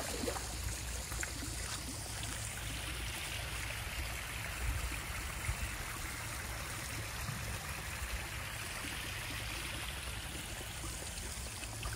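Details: Steady trickling and splashing water from a backyard koi and goldfish pond, with low background rumble and no clear animal calls.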